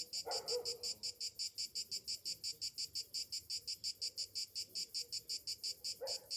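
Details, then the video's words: High cicada buzzing on a summer morning, pulsing regularly about three times per second, with one lower harsh burst at the start and another at the end. "Morning summer cicadas sounds"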